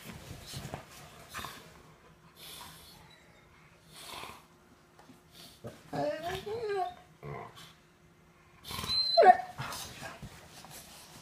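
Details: Blue brindle Cane Corso Inga and her sister Laima playing indoors after dinner: drawn-out, wavering whine-growls with rich harmonics, then a sharp high yelp near the end, between soft scuffling and thumps of rough play.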